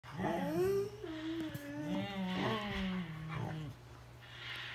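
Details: Siberian Huskies talking to each other: wavering, drawn-out howl-like vocalizing in two or three phrases that rise, hold and slowly fall, with rich harmonics and a steady low hum behind, as if indoors.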